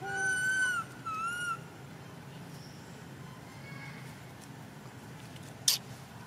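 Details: Little monkey crying while neglected by its mother, giving two loud, clear whistled cries, the first long and slightly falling, the second shorter and wavering, followed by quiet with faint distant tones and one sharp click.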